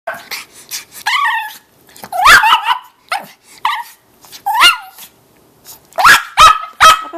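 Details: Excitable female family rat dog at home in Colorado in the morning: a loud run of sharp, high-pitched yips and barks, each with a quick rise and fall, bursting irregularly, with a tight cluster of rapid yaps near the end.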